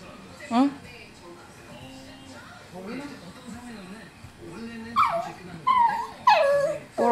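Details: Yorkshire Terrier; whimper; appealing insistently for something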